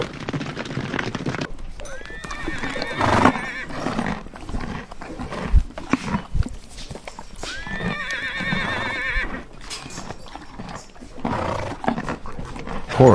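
A horse gives two long, quavering whinnies that shake up and down in pitch, about six seconds apart, with hoof clopping and faint noise between them.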